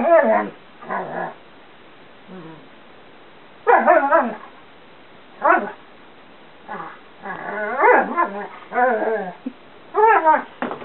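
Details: Playful talking from Chewy, a 2 1/2 year old female Karelian Bear Dog/Alaskan Malamute cross, in the bedroom: many short yippy, harmonic bursts and quick wavering woos, coming in rapid irregular runs.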